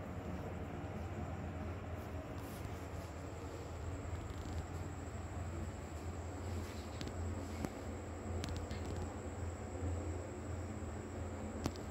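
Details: Steady low rumbling noise with a few faint clicks and a thin high whine, no animal voice heard.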